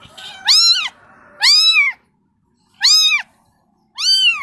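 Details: Young kitten crying for its mother: four loud, bright meows with an arched rise-and-fall shape, roughly one every second, separated by brief silences.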